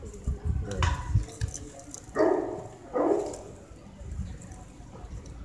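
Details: Great Pyrenees, a breeder's adult male shown at the North Kanagawa Great Pyrenees Speciality Show 2015; two deep, harsh barks roughly a second apart stand out over low indoor rumble and faint background voices.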